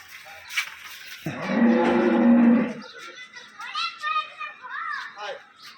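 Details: Pregnant dairy cow, eight months in calf, young two-toothed animal offered at a Bangladeshi dairy farm; one long low moo lasting about a second and a half, then men talking close by.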